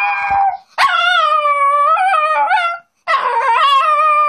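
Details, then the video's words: Moody nine-year-old female dog complaining after a face trim, voicing drawn-out, slightly wavering howls in two main phrases separated by a brief silence. "Talking to ugly dogs"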